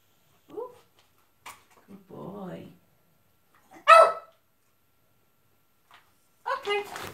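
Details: Milo, a Jack Russell terrier performing tricks, gives one loud sharp bark midway, surrounded by brief soft whimpering sounds and a person's encouraging praise.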